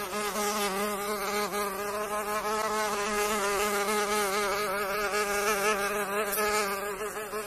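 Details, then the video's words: Flight tone of a mosquito (pernilongo): an unbroken, reedy whine rich in overtones, wavering slightly in pitch, steady and fairly loud from start to finish. "PERNILONGO: SOM DO PERNILONGO"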